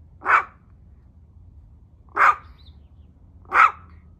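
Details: Tiny Chihuahua named Cedric barking at home: three clipped, sharp yaps spaced roughly one and a half to two seconds apart, with only faint low room hum between them.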